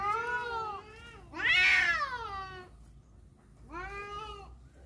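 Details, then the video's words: Cats fighting over a female give drawn-out harmonic yowls: a wavering low wail, a louder rising-and-falling howl in the middle, then another wail near the end, over faint background hum. "suara kucing berantem rebut janda"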